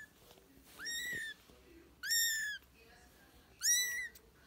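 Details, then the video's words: British and Scottish kittens mewing three times, each call high-pitched, strongly harmonic and slightly rising before holding steady, roughly once a second, loud and clear against a quiet indoor background. "Kedi sesi british ve scottish yavru kediler"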